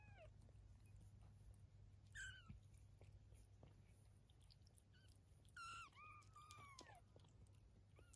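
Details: Eve the cat with her 23-day-old kittens indoors; a few scattered, thin, high arched mews with bright overtones, some rising then falling, separated by quiet stretches over a low steady background hum.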